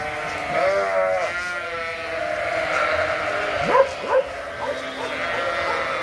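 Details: Suffolk lambs mixed into one group in a farm barn, using the extra space for races, make a steady wash of overlapping nasal bleats. Brief sharp squeaky sounds rise above them near the middle.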